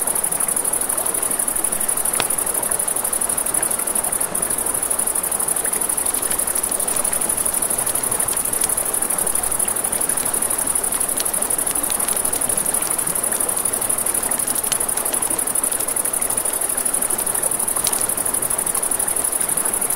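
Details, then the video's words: Riverside crickets at night sustain a constant piercing trill across the whole stretch, with a campfire crackling and popping now and then and flowing water hissing underneath. "Campfire by the River at Night Ambience | 1 Hour of Crackling Fire, Crickets, Ambient Nature Sounds"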